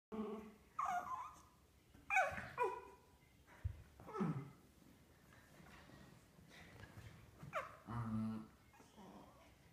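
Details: West Highland White Terrier named Sparky playing with another dog, Sadie, making comical noises: short whiny yelps and groaning grumbles in scattered bursts, one with a nasal buzzy tone near the end, quiet indoor room.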